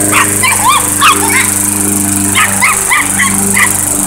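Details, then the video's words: Chihuahua facing off with a lawnmower, giving shrill, clipped barks in short irregular runs, some with a rising yelp shape, against the constant low motor drone of the mower. "Lawnmower vs Chihuahua"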